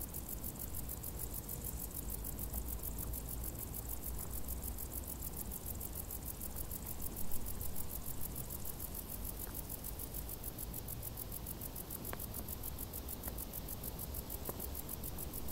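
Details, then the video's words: Long unbroken stretch of crickets trilling in tall summer grass, very high rapid pulses holding a steady rhythm, set against a constant deep rumbling background with a few brief clicks. "Grilli | suoni dall'erba alta"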